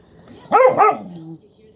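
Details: Cane Corso dog playing with a chew toy, giving two short, loud, harsh barks in quick succession, then a brief low droning tone that fades out; a person's voice encourages the dog before and after.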